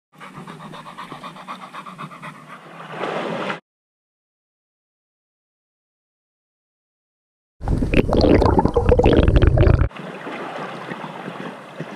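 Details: Pringle, a young and very enthusiastic female Labrador Retriever who loves swimming in the pool to fetch her toys, pants in quick rhythmic breaths, about four a second. Silence falls midway, then a loud splashy burst comes before the panting resumes.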